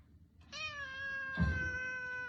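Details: Domestic cat giving one long, drawn-out meow, steady and rich in overtones, with a brief thump partway through and low room hum underneath.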